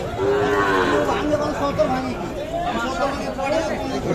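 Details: At Kaharol cattle market in Dinajpur, Bangladesh, Sahiwal bull calves are traded in heavy rain on 13 July 2024; a clear moo opens the recording and a fainter one follows near the end, with market chatter throughout.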